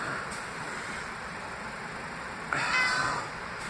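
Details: Reuben the pet cat, who seldom speaks, utters one short, fairly faint meow near the end, a brief harmonic cry with a wavering pitch, set against a constant low room hum.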